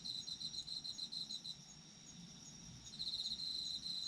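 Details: Autumn insect calls, a high pulsed trill in rapid beats that fades out midway and returns strongly for the last second, over a constant wash of fainter insect chirping.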